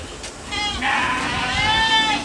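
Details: Ardi goat in Kuwait giving a drawn-out, wavering bleat with rich stacked harmonics that rises in strength midway and holds steady to the end, over faint background noise.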